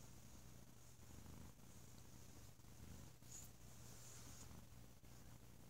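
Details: Sleepy domestic cat named Bo resting on a lazy holiday weekend, giving a loud, deep purr: a steady low rumble running unbroken through the whole stretch, with soft rhythmic swells as he breathes in and out.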